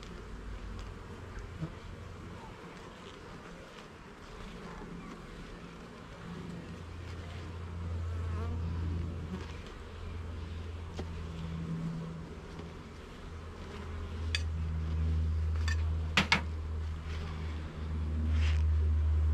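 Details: Honey bees in a garden hive during an inspection of its levels and frames: a steady, dense, low buzzing hum that swells and fades in loudness, with a few brief clicks and taps of handling.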